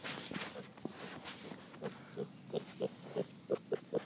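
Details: Curious three-month-old piglet giving a run of short low grunts, about eight in quick succession in the second half, spaced roughly every third of a second; a brief burst of human voice and handling noise at the start.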